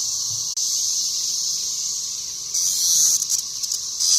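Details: A swarm of cicadas, called locusts by the speaker, covers the trees in a town near Lake Barkley, Western Kentucky, making a continuous piercing high buzz that surges louder in pulsing waves near the end.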